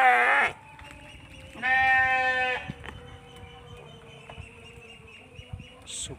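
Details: Eleven-month-old Texel Merino ram, a large jumbo-sized male sheep, gives a short loud bleat, then a longer wavering harmonic bleat about a second later. Faint background noises follow.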